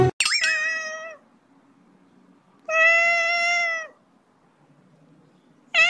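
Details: A domestic cat gives two drawn-out, level meows, each about a second long and rich in overtones, separated by a quiet pause, with a third meow beginning right at the end; faint low room hum underneath.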